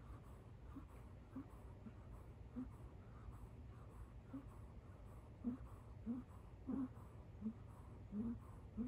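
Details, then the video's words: A sleeping kitten lies on a couch, snoring in thin donkey-like squeals. Brief wheezy squeaks start sparse, then grow louder and closer together toward the end. A faint low room hum runs throughout. "kitten snoring like a lil donkey on couch"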